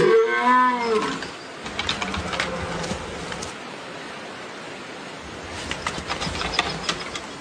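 A swamp deer gives one loud, harmonic bellow that falls away, followed by soft rustling and clicks.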